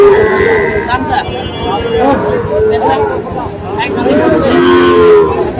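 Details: Sahiwal breed bull calves for sale at a market on 5 October; several flat, drawn-out moos, one near the start and one near the end, over constant hubbub of people talking.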